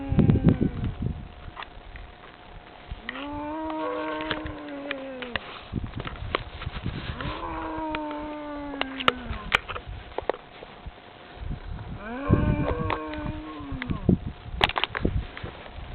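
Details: A herd of cattle in France approaching a man who calls to them: three loud moos, each slightly falling at the end, spaced several seconds apart amid crackling, rustling and clicks.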